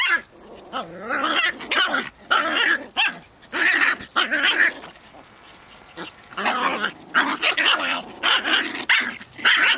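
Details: Two dogs, Pip and tiny female Bracken, play-wrestling over a twig, Pip in boisterous 'Tornado Mode'; dense overlapping growls, yips and short barks in rapid bursts with brief pauses between.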